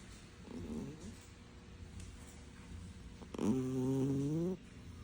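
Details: Sleeping cat snores loudly: a faint snore early on, then one long, low, droning snore lasting about a second that slowly rises in pitch, over steady background hiss.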